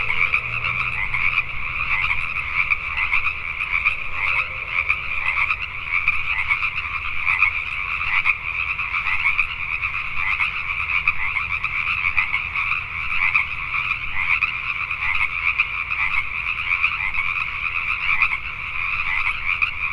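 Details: Night chorus of Pacific tree frogs in Richmond, British Columbia, Canada. Countless frogs give raspy, rhythmic croaks that blur into a continuous shimmering wall of sound, with a soft low hum early on.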